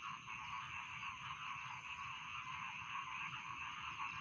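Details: Rice field frogs calling in a dense, steady chorus, a continuous shimmering trill layered around mid and high pitches with no pauses, plus a faint low rumble beneath.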